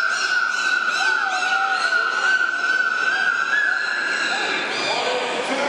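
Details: Captive dolphins at Zoo Duisburg producing sounds on command, July 2010: a long steady tonal whistle with wavering higher whistles and chirps layered over it, in an echoing indoor hall.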